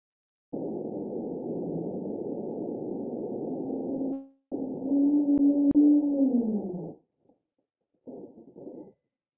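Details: Underwater recording of a humpback whale (Megaptera novaeangliae), a baleen whale, giving a low rumbling, gargling moan, then a drawn-out whoop sliding downward into a groan.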